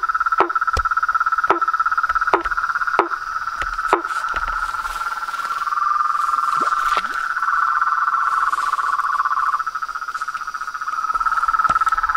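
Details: Frogs, toads and tree frogs calling together: a continuous buzzing trill that shifts slightly in pitch, overlaid at first by spaced knocking notes and sharp clicks, which then thin out, leaving the trill alone.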